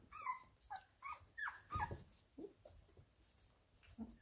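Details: Labrador Retriever pups aged 17 days playing inside the whelping box; a series of short high whines and yips, about one every half second, some bending upward, then fainter squeaks and a thump.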